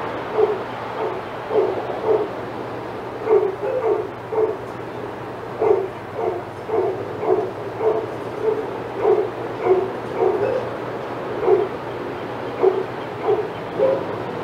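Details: Several senior dogs in the Outside Yard at Old Friends Senior Dog Sanctuary go wild as Titus walks by. Barks come in bursts, often doubled, with short gaps between volleys, over a constant background hiss.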